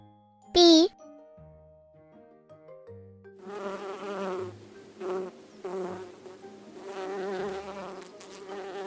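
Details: A bee buzzes in a wavering, droning hum that surges and fades several times, after a bright chime and a few soft children's music notes.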